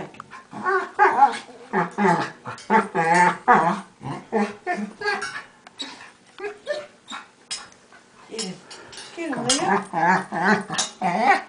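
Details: Two pet dogs play fighting indoors, the smaller one making strange, monkey-like noises: rapid bursts of harmonic, wavering growls and yelps come in quick runs with short pauses between them, and a person speaks at times.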